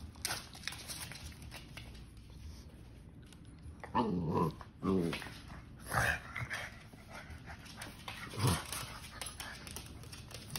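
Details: Gizmo, a three-year-old pug, play fighting indoors with Hazel, a ten-week-old basset hound puppy, and butt-slamming her. Several short, rough, harmonic growling yelps burst out a second or two apart, with scuffling, thumps and clicking paws between them.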